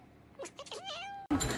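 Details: Domestic cat giving a single drawn-out meow that dips and then holds a steady tone, cut off abruptly by a loud burst of noise.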